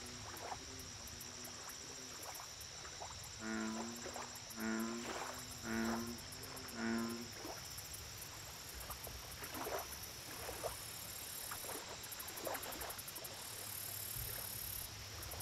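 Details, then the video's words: Lakeside American bullfrog giving a run of five short, low croaks spaced about a second apart midway through, rich in overtones, with fainter calls before and after and a constant high insect drone and chirping behind. "Bullfrog Lake Audio Only - Nature Sounds"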